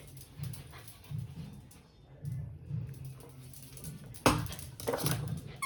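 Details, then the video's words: Pet dog Candy gives two short, sharp bursts, one loud bark and a softer follow-up, late in the clip, over a steady low music bed with faint squeaky sounds earlier. "dog barking"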